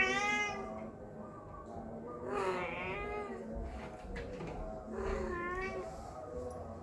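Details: House cat meowing when people are around: three drawn-out harmonic meows, the middle one loudest, with faint rustling and low background noise between calls.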